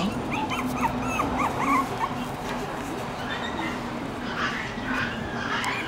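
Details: Shiba Inu puppies from a litter of four born September 24, fourth day outside: a quick run of thin, high whimpering yips in the first two seconds, then mostly steady hiss with faint rustling.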